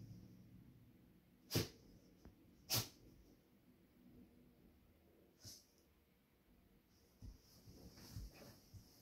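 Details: Molly, a Beagle Hound puppy, trying to burrow under the blankets of a spare bed indoors: two sharp, sneeze-like snorts close together, then softer sniffs and snuffles over steady blanket rustling.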